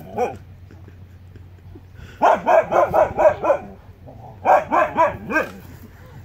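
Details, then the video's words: Two huskies barking on the Pacific Crest Trail, Pacific Northwest, during an encounter with a mountain lion, August 2017: a faint yelp, then a rapid burst of about six sharp, harmonic barks, a pause, and another quick run of four or five. "Two huskies vs a MOUNTAIN LION!"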